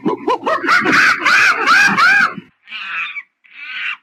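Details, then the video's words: Monkey calling in a fast series of rising-and-falling squealing hoots for over two seconds, followed by two short, harsh screeches after a brief pause. "Monkey Funny Sound"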